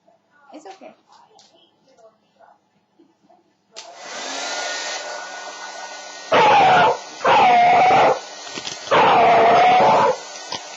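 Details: Beagle puppy Chief, terrified of a blow dryer, cries out over its steady roar: three loud, drawn-out tonal howling wails, each lasting about a second, after a quiet opening with small rustling sounds.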